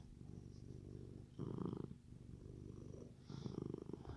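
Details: Happy male Siamese cat indoors with a machine-like purr, a continuous low throbbing rumble with two louder, raspier surges where the cat breathes in.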